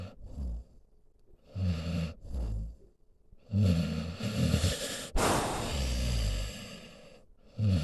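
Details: Senior pit bull mix named Solomon lying beside its owner, snoring in slow, deep, low rumbling breaths with pauses between, a louder broadband snort or sniff near the middle.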